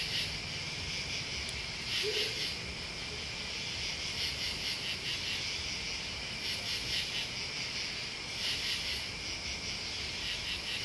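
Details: A massed chorus of crickets and bugs: an unbroken high ringing drone, with clusters of sharper rapid pulses recurring every couple of seconds and a brief faint low note near the start.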